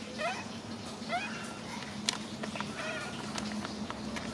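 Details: Macaque, a male monkey, crying while hugging his favourite food package; short wavering, rising whimpering cries, two clear ones about a second apart near the start, then fainter cries later, over a steady low hum with scattered clicks and rustling.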